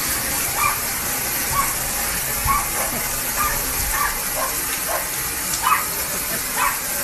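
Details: Japanese Spitz attacking a garden hose from behind a window. It barks about once per second in quick, yelping bursts. A heavy rushing hiss of water persists beneath, with occasional dull knocks against the glass.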